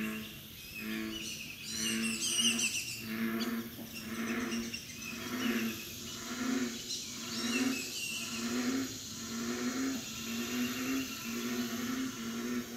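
American bullfrogs give deep, resonant, droning calls, repeated about once a second.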